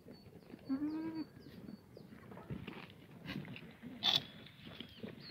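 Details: Korean black goat on a free-range farm on a mountain slope at Sangdong-myeon, Gimhae, South Gyeongnam, on a sunny Monday morning in June; one short, low wavering bleat, with thin high bird whistles and outdoor rustling around it.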